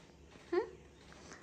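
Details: Pet cat indoors, in a home with cats called Kajub and Nong Pao, gives one short rising chirp-like meow in a quiet small room, with faint background hum and no other clear sounds.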